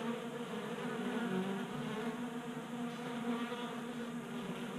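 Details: Honey bees feasting at a 3D-printed tabletop feeder on a garage workbench in Colorado during a warm January spell, staying active on winter fat stores; a steady, overlapping drone of many wings with a low hum and shifting higher tones.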